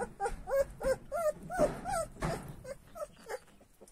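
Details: Purebred Kangal puppies, growing up: a run of high, whining whimpers, each bending up then down, about ten in four seconds, the first ones louder and later ones fading, with faint rustling behind.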